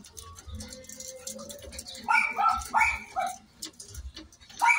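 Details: Miniature Pinscher in a stud session during natural mating; a long thin steady whine, then a quick series of sharp high yelps, with low muffled thumps underneath.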